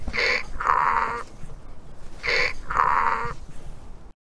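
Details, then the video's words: Donkey on a farm giving two loud hee-haw cycles, each a brief high wheezy intake then a broad rasping exhale, separated by a short pause. "Donkey Sound"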